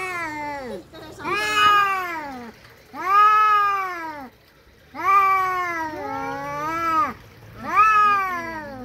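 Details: Domestic cats fighting utter repeated arched yowls roughly every two seconds, each rising then falling, harsh and harmonic, with overlapping voices in places.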